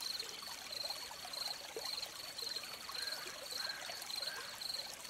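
A cricket gives high, pulsed chirps about twice a second over the steady rush of a flowing stream.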